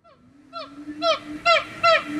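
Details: A siamang, an endangered gibbon, at Zoo Dortmund sings a quickening series of loud, honking, downward-slurred calls that build in strength.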